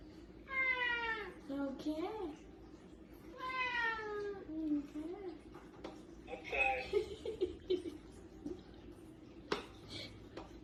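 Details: A domestic cat gives two drawn-out, falling meows a few seconds apart, followed by softer short mews, while people talk quietly nearby in an indoor room.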